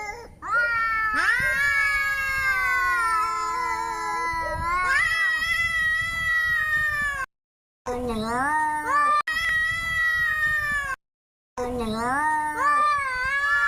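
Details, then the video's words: Domestic cat in an angry mood, caterwauling in long, strained yowls that rise steeply at the start, then shorter rising-and-falling wails separated by abrupt cuts of silence. "cat hissing sounds | Angry cat sounds"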